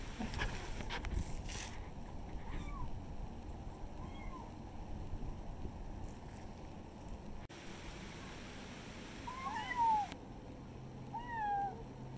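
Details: Kitten among village pets giving several short, thin, rising-then-falling mews, scattered through the recording and clustered toward the end. Rustling and handling noise sound early on over a low background hum.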